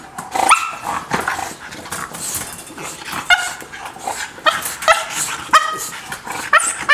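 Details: Heartbroken by a barrier between her and another dog, Lola, a courting dog, cries in clipped, tonal whimpers and yelps, about one every second or so, some breaking into sharper yips.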